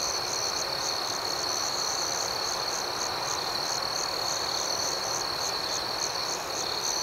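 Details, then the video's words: Unbroken nocturnal cricket chorus: a shrill continuous trill beneath regular pulsed chirps repeating several times a second, at an even volume throughout. "Soothing Cricket Sounds"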